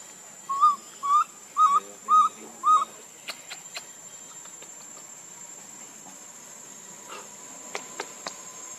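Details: Baby monkey Lucie, hungry and crying for milk, gives five loud, tonal, whistle-like cries in quick succession, each rising then falling, about half a second apart. Faint clicks and rustling follow in the background.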